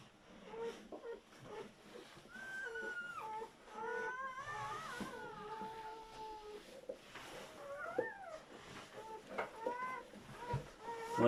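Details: German Shepherd newborns, a litter of seven puppies born during their mother's labour, give wavering, whiny cries that rise and fall in pitch. Some are drawn out and some are brief squeaks, overlapping indoors with faint handling noise.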